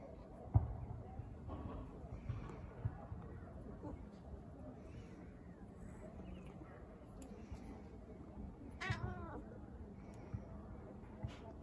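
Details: On her balcony, a female British Shorthair cat lets out one brief arched meow amid a mostly quiet stretch of low rumble, faint voices and occasional knocks and clicks.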